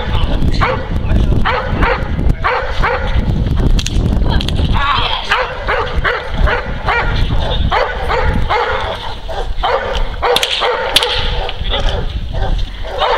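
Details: Neapolitan Mastiff named Kuba, a working dog, protecting his owner from multiple agitators; deep, harsh barks come in quick bursts, with shouting voices and scuffling mixed through the scene.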